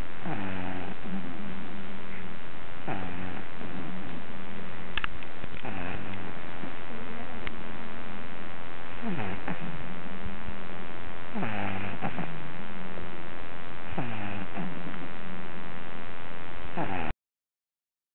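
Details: Pet dog snoring while asleep, said to sound like a little piglet; low rumbling snores with harmonic, slightly whiny inhalations recurring every few seconds, no other sounds.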